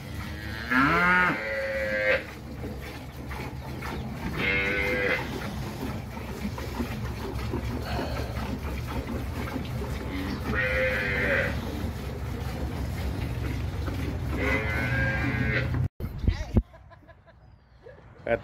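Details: Dairy cows in El Salvador give four drawn-out moos spaced about three to four seconds apart, the first rising then falling, over constant low rumbling background noise; a brief cut near the end.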